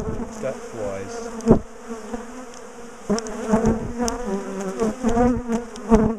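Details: Big bee colony in a top bar hive being dismantled, split and moved, bees known for chasing people down the garden; dense steady buzzing hum with wavering overtones, broken by sharp knocks and clatter of hive handling.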